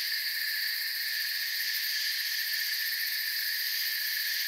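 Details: Shrill, continuous trilling from many crickets in a forest, the high layered drone staying even throughout without pauses or other noises.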